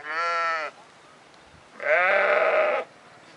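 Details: Sheep bleating in a valley, two clear calls: a short, steady, nasal bleat, a pause, then a longer, louder, quavering bleat.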